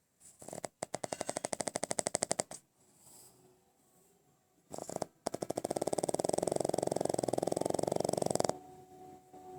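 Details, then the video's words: Pug asleep, giving loud rattling snores: two long runs of rapid, even fluttering pulses, the first about two seconds and the second about three, separated by a quieter gap with soft snuffles in a small room. "My pug snores n make noise while sleeping"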